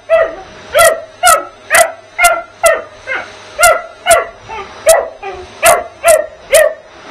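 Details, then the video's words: Puppy named Bugs attacking and yapping at the vacuum while the house is cleaned; rapid high barks roughly every half second, a dozen in a row, with the vacuum's drone underneath. "Bugs The Puppy, Another Vacuum Another Bark"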